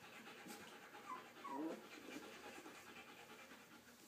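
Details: Young puppies learning to walk, heard indoors: soft, faint breathy panting with a brief run of high squeaky whines that slide downward around the middle, over a steady low hiss.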